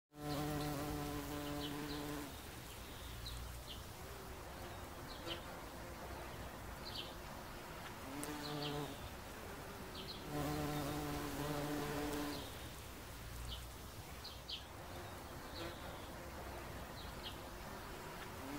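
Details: Bumblebee on a daisy: a low, droning hum in bursts of about two seconds, swelling and fading as it moves, with short high bird chirps scattered in the background.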